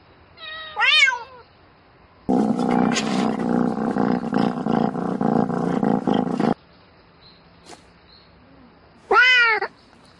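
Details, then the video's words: Domestic cat calling for a mate at night: a clear arching meow opens, then a long harsh, noisy rumbling passage of about four seconds, then quiet, and a final bright, sharply rising meow near the end. "Tiếng mèo kêu Gọi Bạn Trong Đêm Meo Meo Từng Hồi"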